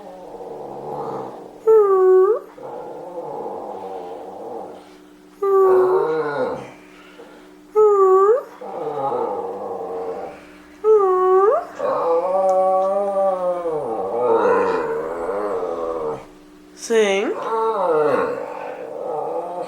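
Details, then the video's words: Pet dog singing on command indoors: a series of short rising-then-falling yowls and longer wavering howls in bursts, with soft whimpers and a steady background hum. "singing dog"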